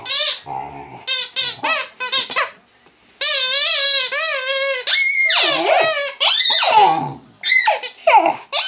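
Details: Female mastiff puppy vocalizing at her toy, starting with quick choppy yips, then a sustained wavering whine, followed by a rising squeal and a few scattered short squeaks.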